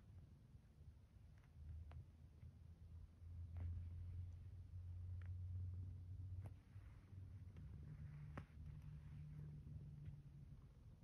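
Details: Zeke, a pet cat, purring while kneading a blanket in bed in the morning after the alarm; a low, steady rumbling purr swelling and easing in long breathing phases, with faint rustles and soft clicks from the blanket.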